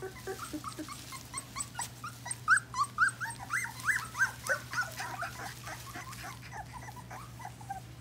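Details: Litter of English Golden Retriever puppies, week 4: rapid overlapping high-pitched whimpers and squeaky yelps, several per second, swelling in the middle and tapering off, with a constant low electrical hum behind.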